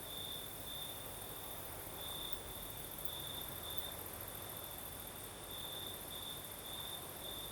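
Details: Crimean crickets chirping through the night as a sea-breeze-like wind hisses steadily; the shrill single-pitched trill runs on without pause, with louder stretches coming irregularly and a faint higher whine above.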